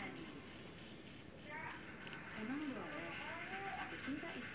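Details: A loud Javanese field cricket (jangkrik jeliteng), taken from a rice paddy, gives a bright, shrill chirp about three times per second. Each chirp is a brief buzzing burst, and faint murmuring can be heard underneath.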